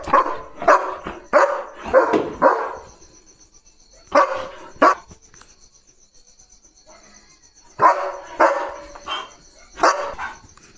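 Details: Leo the German Shepherd keeping alert night watch at the gate: a rapid run of five gruff barks, a short pair, then a silent gap before another burst of four barks, with a continuous thin high tone behind.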